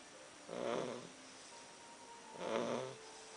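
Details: English Bulldog snoring: two slow, rasping snores about two seconds apart, each roughly half a second long, with a faint steady hum in the background.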